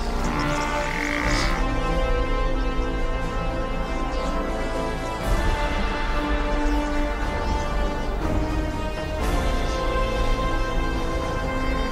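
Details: Dramatic orchestral soundtrack with swelling strings and deep low rumbles, no animal calls audible.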